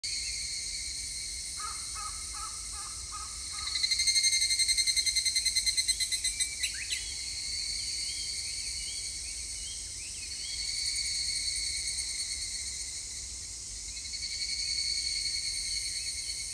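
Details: Evening cicada (higurashi) singing on 3 August 2021: a loud, rapidly pulsed trill swells in around four seconds in and fades by seven. It sits over a steady high cicada drone, with a brief series of lower pulsed notes just before.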